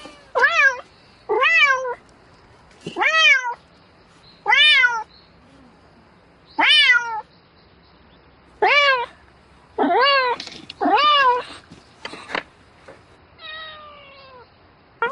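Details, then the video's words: Domestic cat calling for a mate at night, giving a steady series of harmonic meows, each about half a second long, repeated roughly every one to two seconds, with a few softer, fainter meows near the end. "Tiếng mèo kêu Gọi Bạn Trong Đêm Meo Meo Từng Hồi"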